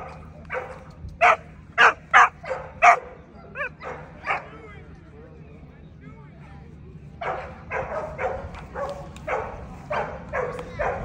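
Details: At the 2024 ADBA Tristate conformation show for 12–18 month female American Pit Bull Terriers, a burst of loud barks comes first, then a lull with light voices, then a quicker run of softer barks.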